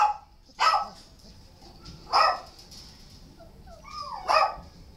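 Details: Dog at a shelter barking three times, loud, rough single barks spaced about one and a half to two seconds apart, with a faint whine before the last one.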